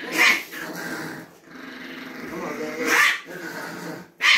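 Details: Chihuahua growling indoors as a stranger tries to pet it: a steady rough, raspy growl running throughout, broken by three sharp snapping barks near the start, middle and end, with a person's voice faintly underneath.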